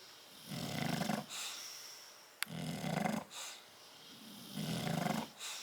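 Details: Bulldog snoring from Tyson and Tyra sleeping in a crate, 10/30/12: three low, rumbling snores with airy exhales between, plus one brief sharp click midway.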